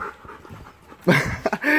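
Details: Siberian Husky Krypto play fighting a German Shepherd mix: low rumbling, then a loud throaty growl-whine with rising harmonics, clipped breaths, and a strained tonal moan to close.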